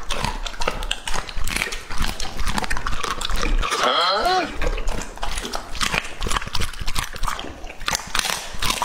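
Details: Lucky, a two-and-a-half-year-old male English-type Labrador Retriever, eats lettuce and cabbage jelly in a close-miked ASMR session. Dense crisp crunching and wet chewing bursts, with a brief whining, rising-and-falling tonal sound midway.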